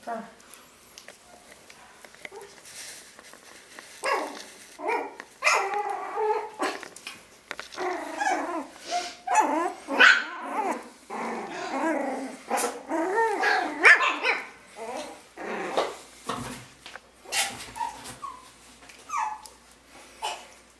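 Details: Five one-month-old Yorkshire Terrier puppies growl and yip in high, scratchy bursts while playing and fighting each other and chewing toes, with people talking nearby.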